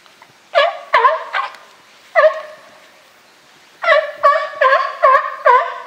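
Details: California sea lions, a group kept at Higashiyama Zoo and Botanical Garden, recorded 12 September 2023: loud harmonic barks in two bursts, a few quick barks, a single bark, then a pause and a rapid run of about six more.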